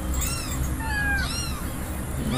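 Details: Husky giving drawn-out, wavering whining cries that rise and fall, indoors with a person talking in Indonesian nearby and a steady background hum.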